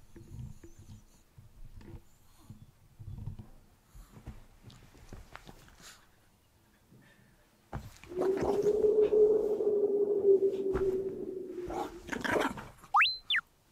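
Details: Chihuahua named Kohaku, delighted that the kotatsu has been set out, comes to 'thank' mum and dad: a steady, drawn-out low moaning whine lasting about four seconds after quiet indoor shuffling, followed by a brief rising electronic effect.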